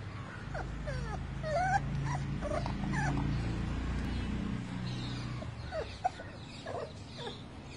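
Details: Young male American brindle Boxer puppy facing his first try at going down the stairs: soft, high, short rising whines and squeaks scattered throughout, faint over a steady low indoor hum.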